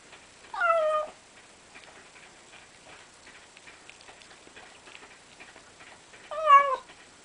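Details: Hana, a pet cat, making 'umauma' noises while eating food she was given: two short wavering meows, one near the start and one near the end, with soft ticking and clicking sounds in between.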